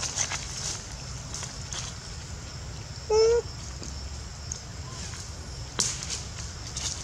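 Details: Young monkey named Lori, frightened and calling loudly for its mother after failing to climb up with her; one short, loud, steady-pitched cry rich in harmonics, under half a second, over a constant high insect-like hiss and low background rumble.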